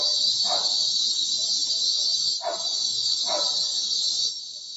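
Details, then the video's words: Cicadas (kuliglig) near a home, recorded from a bedroom window: loud unbroken high-pitched whirring fills the clip and stops abruptly near the end, with three short dog barks beneath it. "SCARY SOUND OF CICADAS OR KULIGLIG"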